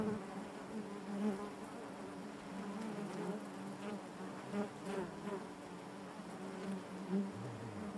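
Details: Soft, steady hum of honey bees inside a hive, quieter and more uniform, with gentle swells as bees move near.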